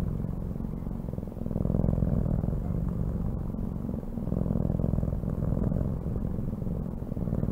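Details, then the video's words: A cat purring steadily: a low, rumbling, finely pulsed drone that swells and eases in loudness over several seconds, with faint clicks above it and no other voices. "CAT SOUNDS"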